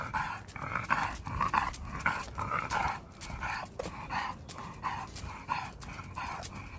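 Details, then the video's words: Pet dog named Kan, sulking after coming home from Gageodo, gives short repeated mid-pitched grumbling bursts with harmonics, about one and a half per second, irregular in spacing, over low indoor rumble. "드디어 가거도에서 집으로 왔슈 ㅎㅎ 우리 칸이 삐짐"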